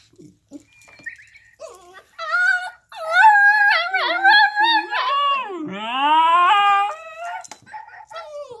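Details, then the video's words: Two Alaskan Klee Kai dogs howl together in wavering, rising and falling tones, with yips and breaks between them. "[Alaskan Klee Kai] Kona and Kaipo howling"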